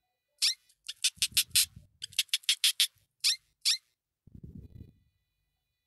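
A hamster gives a rapid series of sharp, high-pitched squeaks, with a soft low rustling between bursts.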